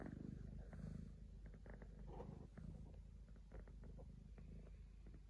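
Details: Sleeping three-legged house cat giving a soft low purr, rhythmic rumbling pulses that fade slightly after the first second, with light rustling noises.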